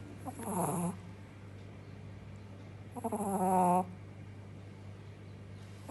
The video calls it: Somebody is snoring 🤩 - Snoring Shih tzu puppy - Adorable & funny 😍